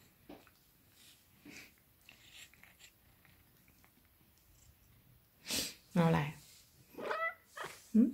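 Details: A Maine Coon cat gives a few drawn-out, tonal meows while seeking affection, amid a woman's soft Thai talk.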